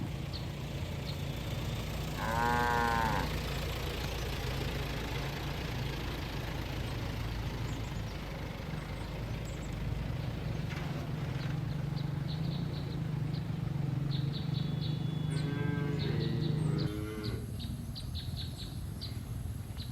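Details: Cattle herd out in a green field, grazing on grass; a short moo near two and a half seconds and another drawn-out moo around fifteen to seventeen seconds over a constant low hum.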